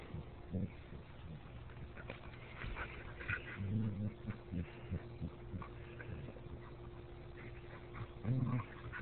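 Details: Two dogs locked in a fight: low, gravelly growling and snarling rises into a strong burst near the middle and again at the end, with scuffling and a human voice faintly heard.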